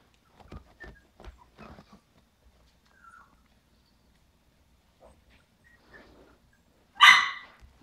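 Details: Havanese puppies from a litter of seven at five weeks old, indoors; a few soft scattered taps and faint squeaks, then one loud, sharp, brief yelp near the end, otherwise quiet.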